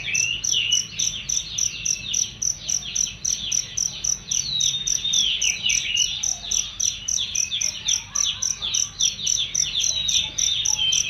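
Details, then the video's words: Shrill, clear cricket chirps for training songbirds, evenly spaced high pulses nearly four per second beneath a continuous stream of jumbled bird-like chirping and short whistled sweeps. "masteran jangkrik untuk burung"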